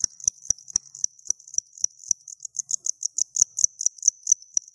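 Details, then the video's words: Home-bred cricket chirping close up with its hard outer wings: quick high pulses in an uneven stream, with soft low taps and rustles underneath. "Cricket Chirping Close Up Cricket Sounds"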